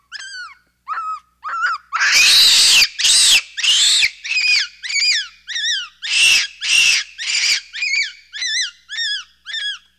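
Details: Capuchin monkey calling: a run of short, arched whistled chirps with bright overtones, interrupted by loud harsh screeching bursts near the start, then steady chirping repeated about twice a second.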